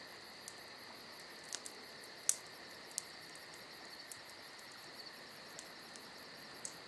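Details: Crickets on a summer night beside a crackling campfire: a steady shrill trilling drone with a faster pulsed high trill above it, broken by a few sharp pops from the burning fire.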